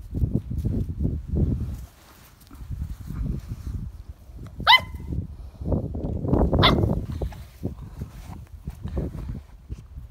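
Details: Ruby, an English Springer Spaniel, gives two short, sharp barks about two seconds apart over a steady low rumble of background noise.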